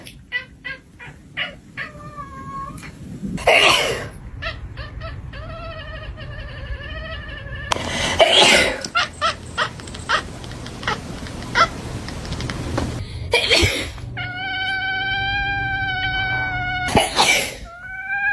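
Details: Cats in a funny compilation: drawn-out harmonic meows with rising and falling pitch recur across the stretch, interrupted by loud broadband thumps and bursts of noise, with Chinese speech in the background.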